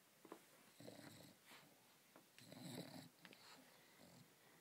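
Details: Sleeping English Bulldog Leidy, sucking on her teddy bear, makes a few uneven snorting, wheezing breaths with wet smacking sounds in a small, quiet room.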